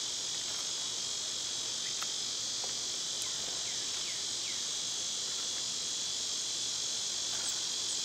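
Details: A cicada's steady, high, hissing drone fills a summer backyard, with a few faint bird chirps behind it.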